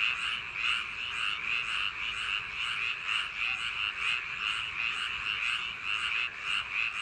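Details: Frogs calling on a summer night in rice paddy fields: a dense chorus of overlapping rasping croaks in steady pulses, roughly two per second, forming a continuous throbbing layer with no other sounds.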